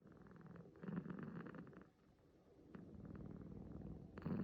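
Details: Six-month-old male kitten, born 9 August 2020 and adopted the next month, sleeping and snoring or purring; a low, steady rumbling with grainy pulses, easing briefly midway before swelling again, recorded close up indoors.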